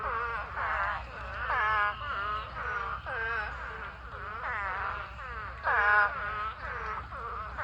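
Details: Thousands of spadefoot toads in a mating swarm filling a pond call together, a dense, unbroken chorus of overlapping wavering, bleating wails, each about half a second long, rising and falling in a steady throng.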